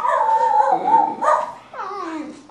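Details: Pet basenji and Miniature Australian Shepherd singing together, short wavering harmonic tones that slide down, then a brief rise and a falling, quieter yodel at the end.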